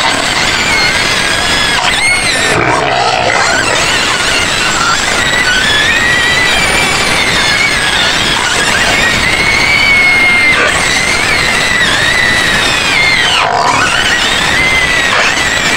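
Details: Shrill screams from white pigs kept in a pen at the edge of Medan, Indonesia. Sustained piercing squeals rise and fall and overlap continuously, with brief gasping breaks and a constant noisy backdrop.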